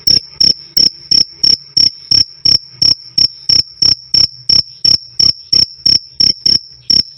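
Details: Cricket chirping loud and clear, meant as a tutor sound for songbirds: a sharp, high metallic pulse repeated about three times a second over a steady ringing tone, about twenty chirps with no other sounds.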